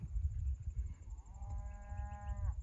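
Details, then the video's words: A beef cow on an Alberta farm, being gathered with the herd at summer pasture to cross a highway, gives a drawn-out, harmonic moo, calling to make sure her calf keeps following. "you can hear the cows calling a little bit they want to make sure their calf is coming"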